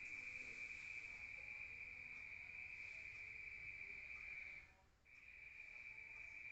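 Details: Crickets calling outside at night in a rural area, heard from indoors: a sustained high, ringing trill that cuts out briefly near the end, then resumes at the same pitch.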